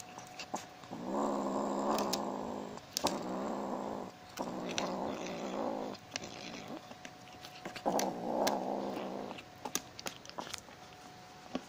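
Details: Tiger, a rescued tabby kitten from Manila Bay, growls greedily over stolen fried chicken: four rumbling, buzzy growls of one to two seconds each, separated by brief pauses and light clicks of movement.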